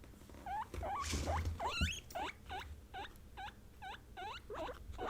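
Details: Kept female guinea pigs of Peruvian, English and Teddy breeds voicing their feelings: quick repeated upward-sweeping squeaks, nearly three per second, with a brief rustle and knock early on.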